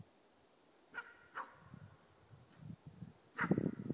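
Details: Four-month-old East Siberian Laika giving its first bay at a moose while hunting: three sharp, distant barks, two in quick succession, then one more after a two-second pause, over low rumbling outdoor noise.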